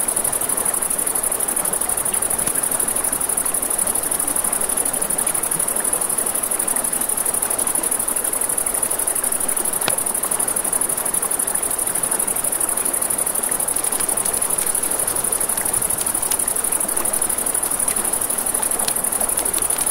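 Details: A riverside night scene with crickets producing an unbroken high pulsing trill for the full length, set against steady rushing water and a few scattered crackles and pops of a campfire.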